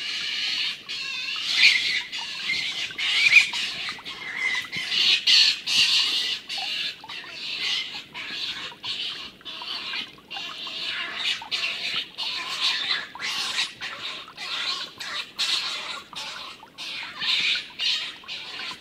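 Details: Two stone martens fighting, the older, larger Milton driving off the youngster Martin. Rasping, hissing screeches repeat unevenly throughout, some sharp peaks louder than others, with no other clear sounds.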